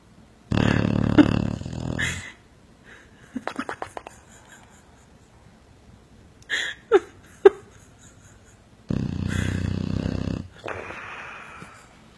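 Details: Dog asleep and snoring, with two long, rough, rumbling snores set well apart and short, sharp snorts and clicks in the quiet stretch between them.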